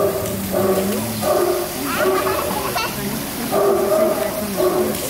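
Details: Pack of about 100 hunting hounds at Château de Cheverny in France's Loire Valley, waiting to be fed; overlapping tonal bays and howls rise and fall in waves, with people talking nearby.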